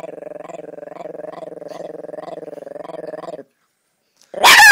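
A Chihuahua growls low and continuously for several seconds, the rumble throbbing in quick, even pulses. After a brief silence, a sharp, loud burst of sound closes the recording.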